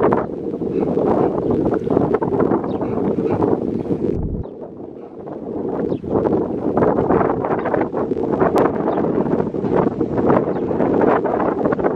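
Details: Steady wind buffeting the microphone with a broad rushing roar and a brief lull, with no animal voice heard.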